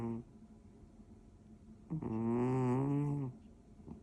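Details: First snore of 2025 from Toby, a male orange tabby British Shorthair, asleep at home on 1 January: one long, low, buzzing snore of about 1.3 seconds, slightly rising then falling, after a brief earlier snort.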